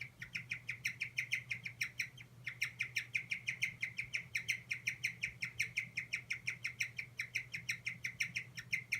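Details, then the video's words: A guinea pig under stress squeaks 'kyu kyu kyu' nonstop: rapid, high, sharp chirping notes in quick succession, breaking off briefly near the two-second mark, with a constant low electrical-sounding hum behind. "ストレス溜まってます！モルモットの鳴き声 キュキュキュ"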